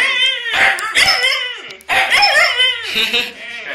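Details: Two Huskies giving loud, wavering, harmonic-rich vocal cries, two long drawn-out calls of about a second each that slide up and down in pitch, close and indoors-quiet otherwise.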